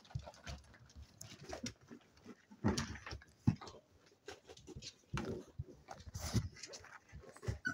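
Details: Spaniel pups, seven weeks old, play together: scattered gruff growls and sharp yips come in uneven bursts with quiet scuffling gaps between them.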